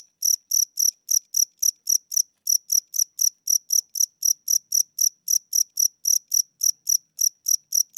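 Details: Old house cricket calling at night indoors, wings said to be getting weak; a long even run of short high chirps, roughly four per second, with brief pauses, background silent.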